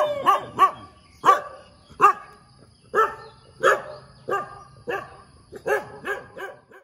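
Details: Morning barking from a dog that barks a lot: a steady series of sharp, mid-pitched barks roughly every half second to second, a few doubled, with a faint low hum underneath.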